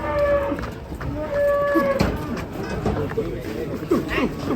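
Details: Two clear, sustained cattle moos, each a flat tonal low held about half a second, then shorter grunting lows under background chatter.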